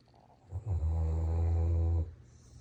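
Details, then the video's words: German Shepherd pet dog snoring while asleep indoors: one long, low, rumbling snore lasting about a second and a half, steady and droning with a rough buzzy tone, framed by quiet breathing before and after. "German Shepherd Snoring"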